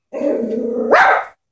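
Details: Chihuahua frightened by a stuffed toy horse holds a steady low growl for almost a second, then breaks into a sudden higher-pitched bark at the end.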